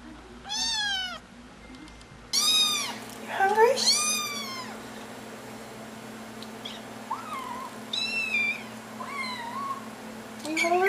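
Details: Kittens calling for their owners' attention indoors: a clear meow, then a burst of overlapping meows, followed by fainter, shorter mews against a steady electrical hum.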